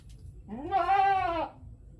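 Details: A goat in a village in Natore, Bangladesh, gives a single drawn-out bleat, rising then falling, nasal and richly harmonic.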